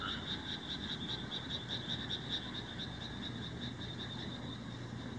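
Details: Indian rice frogs in Himeji, Hyogo, Japan, 1 July 2018, recorded on a Nikon COOLPIX AW130: a dense, continuous chorus of rapid, rattling pulses from many frogs, with a low steady hum underneath.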